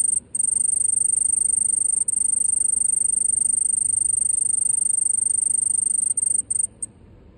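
A cicada gives a steady, piercing high-pitched whine that runs unbroken, with a few brief dropouts.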